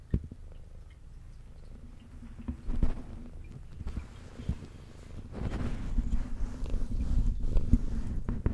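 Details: Adult brown tabby cat with white underside, female, purring while eating indoors: a steady low rumbling purr with sharp chewing and clicking sounds scattered through, growing louder in the last few seconds.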